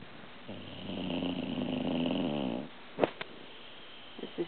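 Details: An old pit bull from an animal shelter snores while asleep indoors: one long rough, buzzy snore of about two seconds with a low harmonic rumble, then a couple of brief clicks and sniffs.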